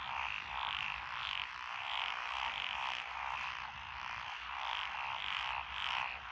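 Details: Paddy frogs in lotus fields of Echizen, Fukui, Japan, June 2021. Tree frogs and pond frogs chorus: throbbing croaks rise and fall in waves about twice a second, steady and unbroken.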